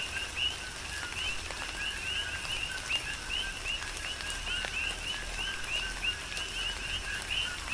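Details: Coqui frogs in a Hawaiian tropical rain shower on the Big Island, a dense chorus of crisp upslurred two-note chirps repeating without pause, mixed with constant pattering rain and scattered raindrop taps.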